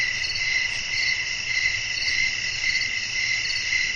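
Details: Nighttime nature ambience with wind and crickets calling: continuous high, shimmering trills that swell in soft pulses about twice per second over a faint low rumble.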